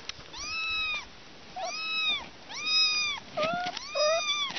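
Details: Little kittens meowing, several clear high, arched meows, each rising then falling and about half a second long, with a few shorter, lower squeaky mews near the end and light background hiss.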